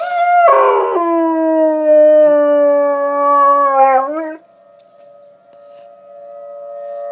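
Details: Dog howls against tornado sirens sounding in the background, one long sustained howl held for about four seconds with a wobbling rise at its close, then the steady siren tone continues by itself.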